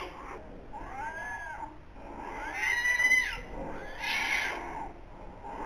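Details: Two newborn polar bear cubs, born 14 November 2021 in the breeding den at Zoo Rostock, their parents' first young: arched, wailing squeals rise and fall in three loud bursts over low den rumble.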